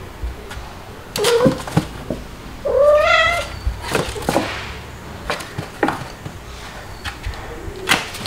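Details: Kittens indoors, white dalmatian-spotted Stuart and black Lunar with their mothers Mel and Pepper, July 2022; a brief meow, then a louder drawn-out rising-falling meow, rich in overtones, followed by scattered knocks and scuffling.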